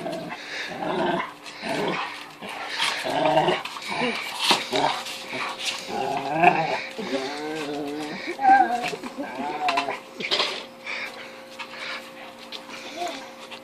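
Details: Female Rottweiler crying indoors because she cannot destroy a 10-inch wiffle ball toy, phone recording; growls and wavering, tremulous whines between bites, with clattering from the toy and some human speech.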